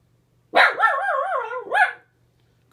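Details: Pet dog indoors barking at a neighbor spotted through the window: one drawn-out, wavering, yodel-like bark-howl lasting about a second and a half, with no other sounds.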